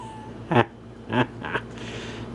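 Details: Abbey, a graying female Puggle, gives three short, sharp barks in a small room. The barks come roughly half a second to a second apart, and the last is the softest.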